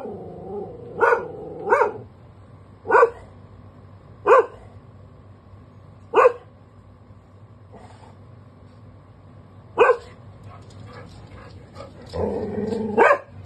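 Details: Labradoodle Benji barks on guard duty in a multi-occupancy home: single loud barks come irregularly every one to four seconds, and the run ends in a burst of rougher, growling barks.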